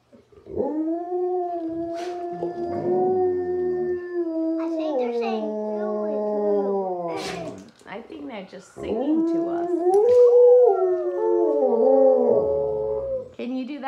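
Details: Pet Alaskan Malamutes, three sled dogs howling with the next generation: several long, level howls separated by short pauses, voices overlapping and wavering, with brief clicks and a person's voice at times.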